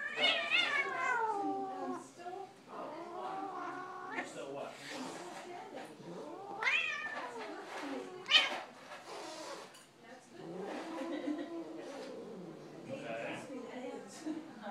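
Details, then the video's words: Dark cat Wispy and spotted cat Rex battling indoors on Thanksgiving, trading long harmonic caterwauls that swoop up and down, some sharp rising wails, with human voices chatting underneath throughout. "Cats do battle on Thanksgiving"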